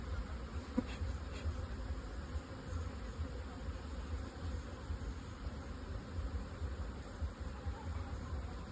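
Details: A constant low drone of honey bees kept in two-storey hive boxes for honey production, with a small click early on and otherwise an unbroken hum.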